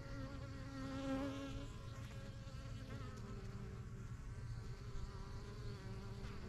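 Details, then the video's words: Busy backyard beehive in its first season since spring 2023, bees settling into a new yellow box; dense low hum of many wings, with individual bees whining past and rising and falling near the recorder. "BUSY BEE HIVE AMBIENCE"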